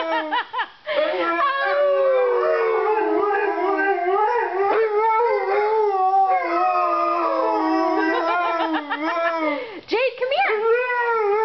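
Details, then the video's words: Several puppies howl together in snow dog chorus, overlapping sustained wavering tones that rise and fall continuously, with brief yips breaking in near the start and around ten seconds. "Howling snow dogs"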